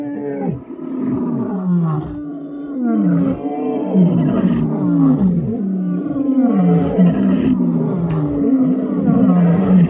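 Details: Wild lions in South Africa roaring: deep, overlapping groaning calls that fall in pitch, repeated rapidly in a dense chorus throughout, with strong harmonics and no other clear sounds.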